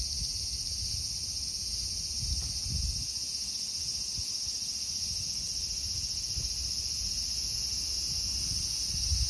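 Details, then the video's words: Cicadas, called semi in Japan, resting well camouflaged on tree bark in a small park, making a deafening cacophony; a steady high-pitched shrill buzz holds without a break, with faint low rumbling beneath. "Can you see the cicada (蝉) before it flies away?"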